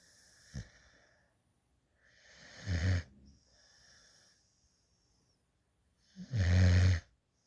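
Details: A puppy adopted from a rescue organization snores while asleep in a lap, tongue out and drooling. Two deep, rumbling snorts come about four seconds apart, each followed by soft, hissing breaths.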